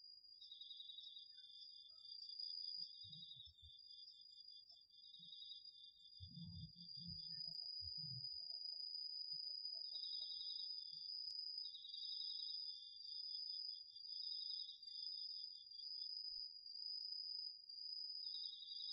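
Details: Crickets among other autumn insects singing at night in a garden field, captured on a DR-40X recorder: an unbroken shrill high trill runs throughout while a slightly lower pulsed chirping comes and goes, with a few soft low thumps.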